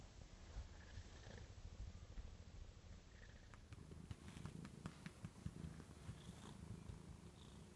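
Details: Domestic cat Joan purrs on a couch arm at home, a continuous low throbbing rumble that swells slightly midway, with small scattered clicks over the quiet indoor background.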